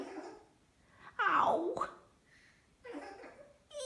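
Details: A young child's voice babbles, wails and giggles in a small room, with no animal sound.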